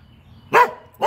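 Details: Norwegian Elkhound, a male pet dog, giving two short barks during play with a toy indoors; a person speaks to him around the barks.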